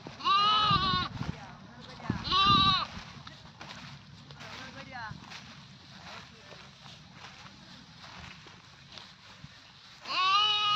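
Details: Loud goat bleats, two close together at the start, each under a second, quavering and nasal, then a quiet stretch with faint voices before a third strong bleat at the end.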